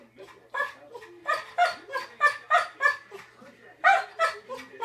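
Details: Yellow Labrador Retriever, male, 'explaining' to his owner why he mixed up the bed: a quick string of short, throaty, harmonic woofs and grumbles at an uneven pace, some louder bursts near the end.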